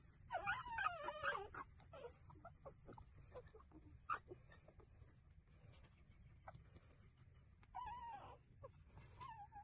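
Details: Street puppies breastfeeding. A short cluster of wavering whines opens, followed by soft clicking and suckling-like ticks, then a brief rising whine near the end over a low background hum.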